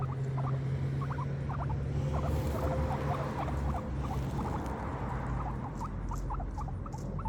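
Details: Pet guinea pigs munching grass, giving fast, dry crunching ticks at an uneven pace of about three per second, over a constant low background hum with a faint steady tone in the middle.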